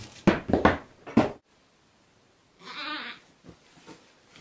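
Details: Baby goats Wilma and Lentil while eating: three sharp knocks, a pause, then one short, raspy, wavering bleat and faint rustling.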